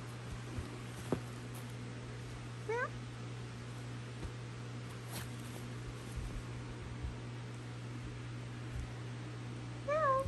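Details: Basenji dog, a near-barkless breed, giving two short, rising, meow-like whines over a steady low hum while being coaxed to "say meow"; these dogs tend to meow on waking in the morning, a mix of greeting and yawn.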